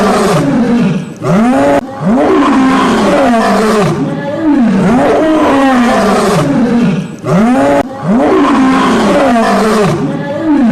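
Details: Lion (Panthera leo), roar.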